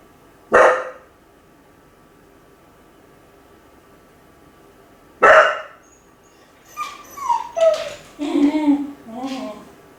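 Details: Ichi, a lonely Kai Ken left alone at home, barks twice with a long pause between, then breaks into a series of high, wavering whines and whimpers.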